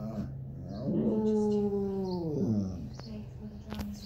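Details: A large Basset Hound gives a single drawn-out howl, rising sharply, holding steady, then sliding down; owner says he is sad, waiting for grandkids and missing his Bulldog buddy taken to the vet.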